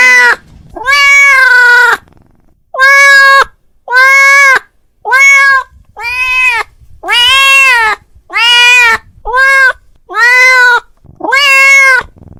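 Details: Persistent domestic cat calling his friend: about ten loud meows in twelve seconds, each rising slightly then falling, delivered in a steady, insistent series with short breaks.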